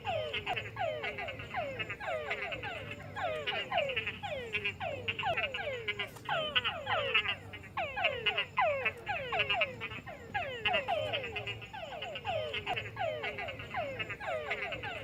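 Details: A dense chorus of frogs croaks at night in a swamp, with rapid, downward-sweeping notes overlapping continuously.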